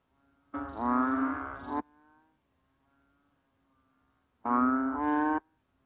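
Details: Banded bullfrog (Kaloula pulchra), also known as Asian painted frog or rice frog: two loud, low, nasal drawn-out bleats, each lasting about one second and rich in harmonics, separated by roughly three seconds of near silence with a faint hum.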